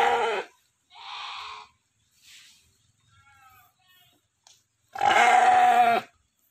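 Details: Large breeding ram of about 90 kg, the biggest sheep in an Indonesian village, kept as a stud: loud, nasal, wavering bleats, one short, one longer and one full second-long cry, with brief human voices between.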